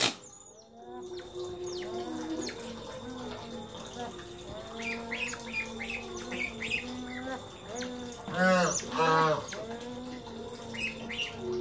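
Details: Playful pet otters, one pestering the rest, letting out a busy mix of chirps, then loud harmonic squeals near the end, over a constant low hum and soft background chatter.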